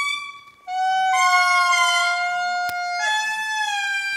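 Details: Indri named Rambo, an adult male, calling in Mitsinjo park, Madagascar, recorded on a Sony A7R2: long sustained wailing tones, a low note jumping to a higher held note, rich in overtones, with family members calling offscreen.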